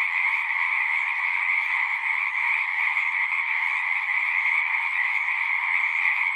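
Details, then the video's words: Singing frogs in a thick, continuous chorus. Countless overlapping trills merge into an even, buzzing hum held at two stacked pitches, with no pauses or other voices. "One hour of singing frogs."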